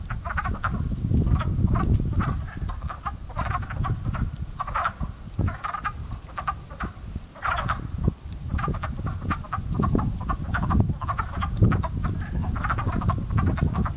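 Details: A spring frog pond where frogs are coming to life with calls once taken for crows: dense, overlapping hoarse clucking croaks in uneven bursts across the recording, with low wind rumble throughout.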